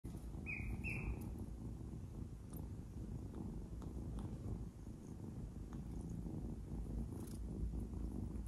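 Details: Adopted kitten purring while playing with and biting fingers; a steady low rumbling purr fills the recording, with two short high chirps near the start.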